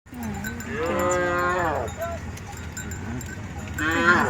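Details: Cattle in a large herd, mooing with a long harmonic-rich call rising then falling, followed near the end by a second cow starting another moo; steady low rumble of the herd in the background.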